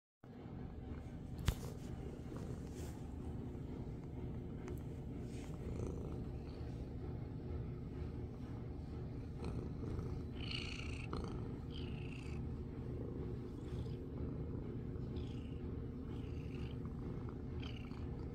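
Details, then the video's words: Small black domestic cat purring while being pampered and head-bonking the screen: a steady, low, rumbling purr throughout, with a sharp click early on and a few faint high chirping sounds in the background. "Mini panther getting pampered, purring and head bonking the screen"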